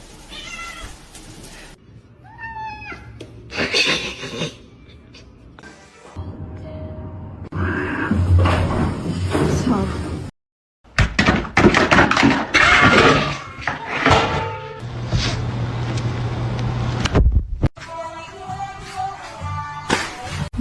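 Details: House cats meow in short, bending cries, with a sharper series near the start and a wailing meow at the end, set against people talking, background music and household noise.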